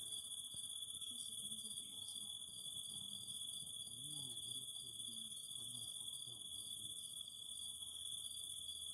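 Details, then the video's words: Continuous shrill drone of cicadas, with an intermittent throbbing buzz pulsing through the chorus and faint low murmurs underneath. "Fire and the Singing of Cicadas"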